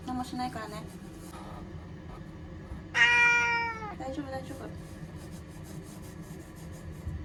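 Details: Ear-tipped cat Chanta, caught and placed in a bathroom to escape Typhoon No. 10 in Okinawa, September 2020; faint sounds early on, then one loud falling meow at mid-clip and a brief quieter follow-up.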